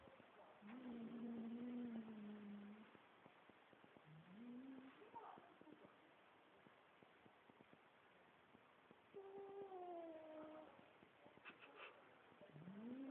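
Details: Domestic cat giving four long, drawn-out meows, each wavering and tonal, the first and third sliding gently downward over about two seconds, shorter rising calls between, with soft background rustle and faint clicks.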